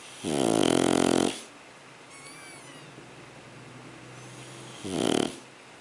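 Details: Sugar, a sleeping Shar Pei puppy, snores in two bursts: a long rattling inhale of about one second with rapid pulsing, then a quiet pause and a shorter snore near the end, indoors.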